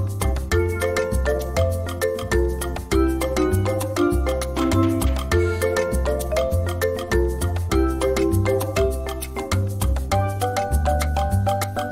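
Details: Upbeat salsa-style music with bright marimba-like notes and a steady beat plays throughout, with no animal voice heard.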